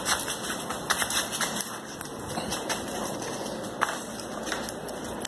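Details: Steady crackling, rain-like noise with faint hiss bands and scattered clicks; no animal voice stands out.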